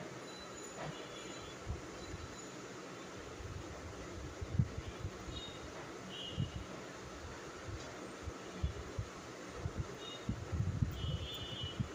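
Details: Low rumbling background noise with occasional soft knocks and faint high tones, no clear animal call.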